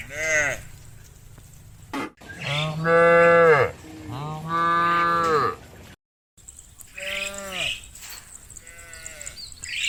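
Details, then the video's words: Several cows calling their friends back to the barn: a quick moo, then two long, loud, deep moos. After a brief silence comes one fainter moo over a high hissing background. "Hundreds of funny cow sounds calling their friends to come home to the barn, cow sounds"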